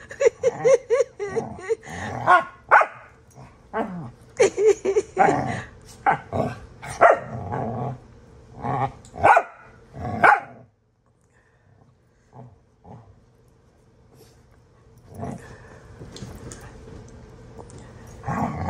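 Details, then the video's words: Two pet dogs play rough together, one sounding fierce; dense bursts of harsh growls and snarling barks during the first ten seconds, a quiet pause, then more growling near the end, with a person's voice heard nearby. "horsing around! Astrid sounds so mean!"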